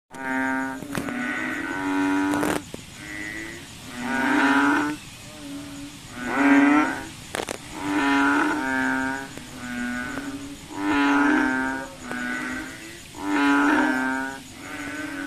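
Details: Frogs calling at night, said to be hunting mosquitoes: loud, nasal, moaning notes about a second long, several callers overlapping and alternating in rough rhythm, with a faint steady high whine in the background.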